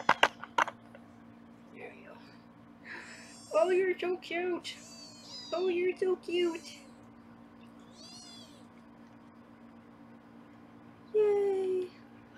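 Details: Foster kittens on a live 24/7 kitten cam in Los Angeles, being weighed indoors: a run of short, bright meows bunched in the middle and one drawn-out cry near the end, with a woman talking between them.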